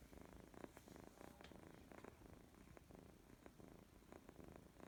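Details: A young female kitten, recovering from stomach upset, purrs at bedtime in a low, continuous rumble pulsing evenly with each breath, with faint rustling and small clicks in a quiet room.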